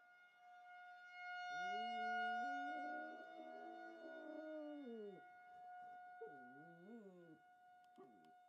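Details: A pet dog howls in response to a tornado siren during its monthly test: two long wavering howls, the first sliding up and holding before dropping away, the second shorter with a dip and rise, over a steady siren tone.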